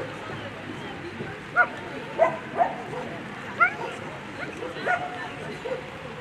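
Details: German Shepherd at a World Championship agility event, barking in short sharp yips about once or twice a second amid steady crowd chatter and hall noise.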